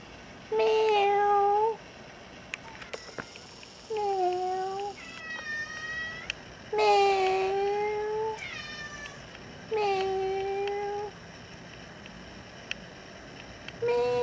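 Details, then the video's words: Talkative female cat, a rescued former stray living indoors in an apartment, begs to go outside: a series of six or more insistent meows, some rising and some falling, with one higher, strained cry, in a small quiet room. "CAT WANTS OUTSIDE TALKING BACK"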